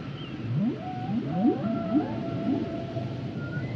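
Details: Humpback whale song as a quick series of rising upsweeps repeated about every half second, each ending in a level whistle, with faint high tones above.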